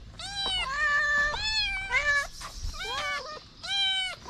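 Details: Homeless street kitten standing on two legs to lick a person's fingers, giving about five drawn-out, high, slightly wavering meows in quick succession, some bending downward at the end, with a short pause before the last one.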